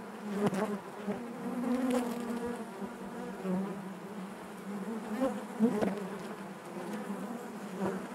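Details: Honey bees buzzing inside their hive, a dense steady drone with a warm low hum and layered overtones, individual wingbeats swelling briefly louder now and then over the continuous colony sound.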